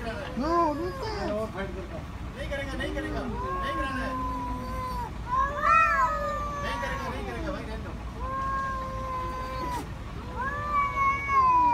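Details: Angry cats facing off in a fight, trading long drawn-out yowls that waver, rise and sag, each held for a second or more, with short breaks between the howls and a few sharper rising cries.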